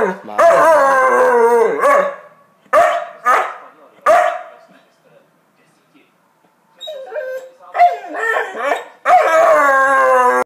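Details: A Magyar vizsla dog 'talks' to its owner at home with a long wavering howl, several short yelping moans, a quiet pause, a woman's Czech speech mixed with dog vocalising, then another sustained howl.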